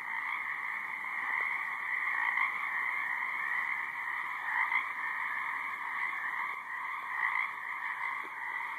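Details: High marsh frogs calling together: a thick, constant chorus of rapid pulsed croaks, rising and falling gently in loudness, with a few nearer louder callers and a faint buzz.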